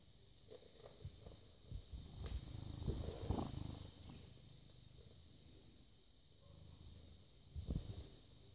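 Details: Purring British Shorthair cat, born 18 August 2010, filmed 6 May 2017 at 21:55; a deep, grainy rumble swelling in the middle and again near the end, with scattered handling noises and a steady high electrical whine behind.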